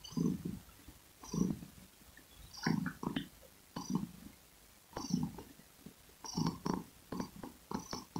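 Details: Close, steady purring from a domestic cat: low throaty rumbles swelling with each breath, repeating about every second and a quarter, with light crackly clicks on top.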